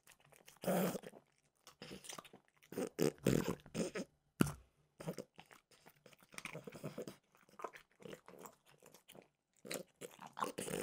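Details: Mimosa, a French bulldog, eats Trader Joe's peanut butter flavored dog treats for an ASMR recording; loud crisp crunches in clustered bites with sharp snaps, then softer irregular munching, indoors.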